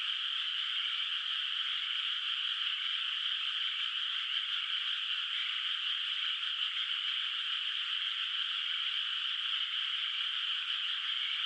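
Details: Frogs calling at night in a moonlit countryside rice field whose water is not yet planted; a dense, unbroken chorus forms a steady, bright, high trilling wash with no distinct single calls and nothing in the low range.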